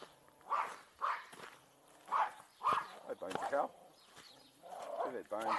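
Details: Farm dogs having a ball together in a rain-soaked paddock of unmown grass, recorded on an Insta 360 EVO; short, sharp barks burst out in a loose series, roughly every half second to second, then a person starts talking.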